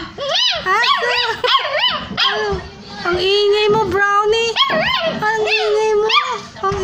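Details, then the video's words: Puppies of the street, hungry and looking for their mother, whine continuously. Short peaked yelps repeat rapidly over a sustained lower whine, with several pups crying together throughout. "CRYING DOG"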